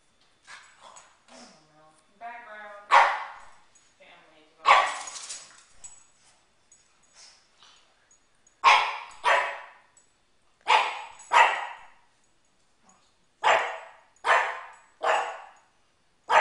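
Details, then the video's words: Oshi the pug barking indoors at balloons, fighting off the strange floating things to protect his humans; sharp, hoarse barks come in pairs and short runs, a few seconds apart, after some early talking. "Oshi the Pug fights off balloons"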